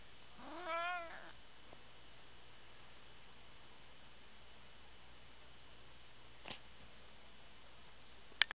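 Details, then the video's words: A pet cat in an apartment, just woken from sleep, gives one short rising-then-falling meow about a second long near the start. The rest is quiet room hum, with a faint click and a sharp tap at the end. "Snoring Cat"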